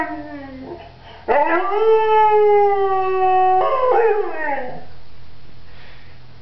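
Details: Pointer dog singing on cue from its owner: after a brief whine, a long steady tonal howl held for about two seconds, then a wavering, falling finish.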